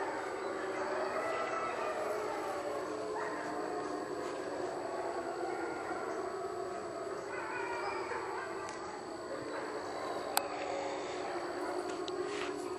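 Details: A pack of gray wolves howls in the distance at dawn, faint, with long wavering tones overlapping and sliding up and down in pitch.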